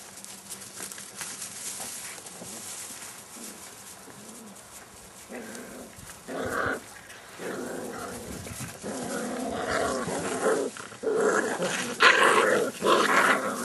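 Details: Seven-week-old Airedale Terrier puppies from a litter: low, quiet murmurs at first, then short rough growling and yelping bursts cluster in the second half, growing louder toward the end over a steady background hiss.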